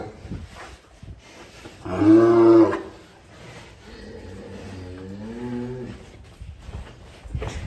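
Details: Rare-coloured cattle at Setia Farm in Indonesia give a deep, drawn-out moo with rich harmonics, then a softer, wavering second moo, over faint background music.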